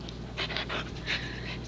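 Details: Female Pembroke Welsh Corgi named Palette, returning a toy to its box for treats, gives several loud, airy panting bursts in short groups, with a constant low hum underneath.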